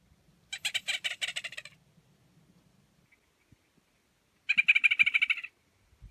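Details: A Gunnison's prairie dog (Cynomys gunnisoni) at Redondo Meadows, Valles Caldera National Preserve, New Mexico, in June 2016, gives its territorial call, announcing its presence and claiming a burrow: rapid bursts of harsh, squeaky chirps.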